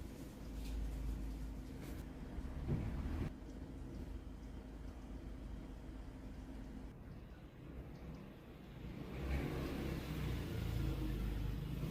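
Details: A steady vehicle engine hums and revs beneath broad background noise, and no animal call can be picked out.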